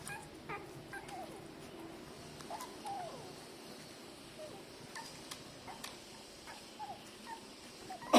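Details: Three-day-old newborn puppies nursing from their mother, giving faint, short squeaky whimpers that rise and fall, scattered irregularly over a soft steady background hiss, with a louder knock at the very end.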